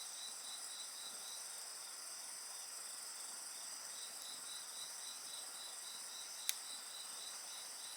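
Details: Insect chorus recorded alongside a bonfire: shrill continuous ringing layered over a beating trill of about four pulses per second, steady throughout, with one sharp fire pop near the end.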